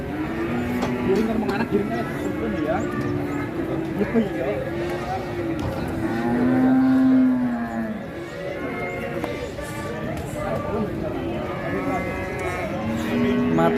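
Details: Cattle at the Ngawi livestock market, bought in bulk to fill three large trucks heading west, give several low drawn-out moos, one loud sustained bellow in the middle, over steady crowd chatter and market noise.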